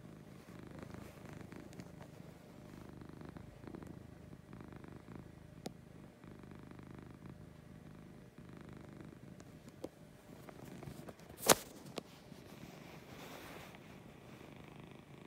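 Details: Morning purring from Lucy, a female cat: a quieter, soft low rumble running throughout, broken by occasional faint ticks and one sharp click about two thirds of the way through.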